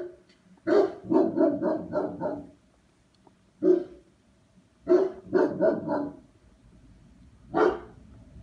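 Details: German Shepherd dog barking during a numbered dog test: a quick run of five deep barks, a lone bark, another rapid cluster of four, then one final bark, in a small indoor room.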